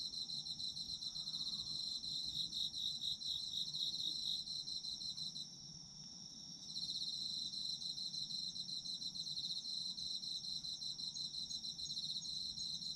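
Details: Autumn insects chirping for sleep ambience: a dense, high trilling chorus of pulsed chirps layered over a steady shrill drone, briefly pausing around the middle before resuming at full strength.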